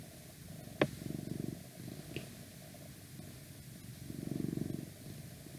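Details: Purring house cat recorded for ASMR: two swelling bursts of low rumbling purr separated by softer purring, a sharp click just before the first burst and a faint steady hum throughout.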